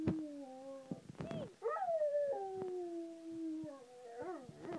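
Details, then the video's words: Singing Rottweiler: a chain of sustained, slightly quavering howls, each swelling then sliding slowly downward, with brief yips between and a rising tail at the end. "Singing Rottweiler"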